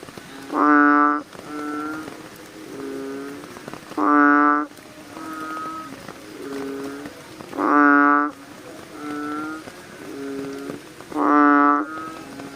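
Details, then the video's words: Several American bullfrogs calling at night: loud, deep, buzzy-toned croaks repeated roughly every three and a half seconds, alternating with fainter, lower-volume croaks from more distant frogs, over a soft hiss. "frog sounds activity at night - bullfrogs sound"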